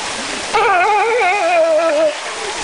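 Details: Sea lion at Tokyo's Ueno Zoo giving one loud, long, wavering call of about one and a half seconds. The call is rich in harmonics, rises and falls like a howl, and sits over steady background hiss.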